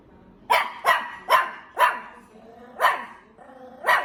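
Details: A dog gives six loud, harsh barks in steady succession, about two per second at first, then a pause before the last two.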